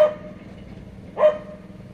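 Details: A puppy gives two short, sharp yelps a little over a second apart. Each one is a quick, bright burst over a low, steady background hum.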